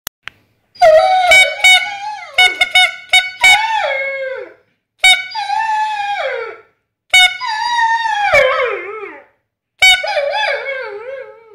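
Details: A pet dog howling in response to a whistle: long wavering tonal howls that slide downward at the end, five drawn-out howls separated by short pauses, with brief sharp sounds between the first ones.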